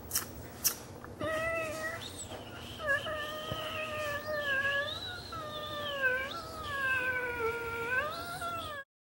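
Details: Female Pugwawa puppy, a Pug and Chihuahua mix, almost 11 weeks old, giving long drawn-out whining howls with wavering pitch that slide up and down over several seconds, after a few sharp knocks at the start.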